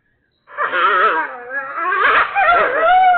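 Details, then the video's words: Coyotes freaking out, with drawn-out moaning howls that waver and bend in pitch, several voices overlapping and swelling louder after a short quiet start. "Coyotes freak out."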